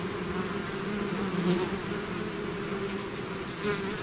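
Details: Bees swarming out of their hive: continuous droning buzz with stacked low pitches, individual bees swelling closer at around one and a half seconds and again near the end.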